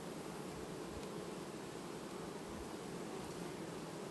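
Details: Honey bee colony in August, 18 August 2019, quietly replacing its queen: a steady, dense buzzing hum of many bees with a broad low drone and no distinct pauses.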